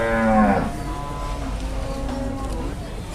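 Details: Cattle at Muntilan market in Indonesia during haggling over a sale. A short, strong moo slides downward over about half a second, followed by murmuring voices and steady background market noise.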